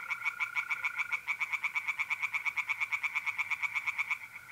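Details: Mid-April night beside a pond in North-East Italy: tree frogs sing a long, insistent sequence of pulsed croaks that fades at the end, while the steady trill of mole crickets hums throughout.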